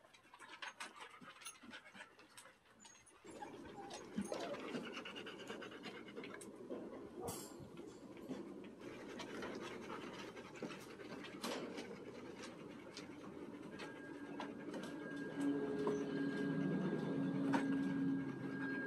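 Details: Wet Standard Poodle puppies pant rapidly and steadily after their bath on a first outing outdoors, a fast breathy rhythm over constant background rumble, with brief knocks, a faint tonal note near the end and a person saying thank you.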